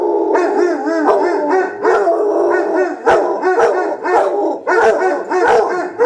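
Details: Pair of Basset Hounds howling against each other in a howl-off; warbling, bouncing bays and howls repeat rapidly, interleaved with sharp bark-like onsets, two voices layered throughout.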